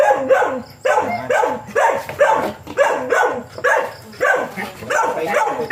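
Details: Husky vocalizing at a first-time mating session between dam and sire: rapid, wavering whines and yips that slide downward, delivered in dense bursts roughly every second with brief gaps.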